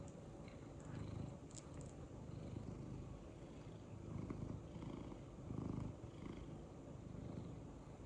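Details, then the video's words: Happy male domestic cat purring during cute head tilts, a low, even rumble pulsing with each breath, louder swells around the middle, light clicks and rustles in the background. "Purring boi does cutest head tilts"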